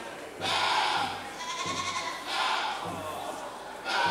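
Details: Angora goats at a goat judging competition, bleating in wavering, harmonic-rich calls of about a second each, roughly three in four seconds, with a steady low hum and indistinct voices in the background.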